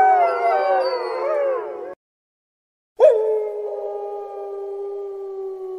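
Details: Wolf howls, first a wavering chorus of several overlapping voices, then a two-second silence, then one strong howl that starts with a sharp rise and holds a long, level, steady tone.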